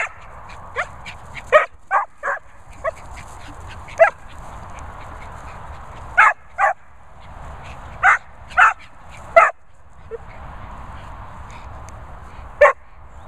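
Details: A vocal Vizsla dog, with a Bichon also present, giving short sharp barks and yips in irregular bursts, about a dozen over thirteen seconds, some in quick pairs, over a steady background hiss.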